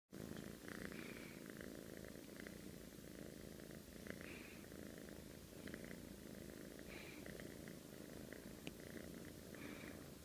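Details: Sleeping cat snoring, a steady low rumbling texture that runs without a break, with faint, soft brief higher rasps coming and going over it in a quiet indoor room.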